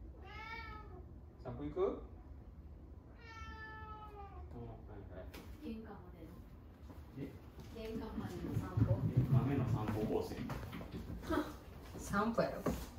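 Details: Cat named Mame Daifuku at home, calling to invite its father for a walk as a daily routine; two clear harmonic meows in the first four seconds, then a mix of human voices and household noise.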